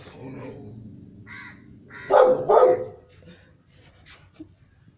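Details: Rottweiler. Two heavy, booming barks from a Rottweiler come about half a second apart, each a short harsh burst. Quiet human voices murmur before and after them in a small indoor space.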